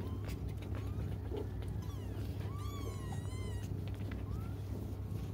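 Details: Cats waiting for their mother cry with a long, rising-then-falling wavering meow followed by a shorter upward-sliding cry, set against a low droning hum and scattered clicks.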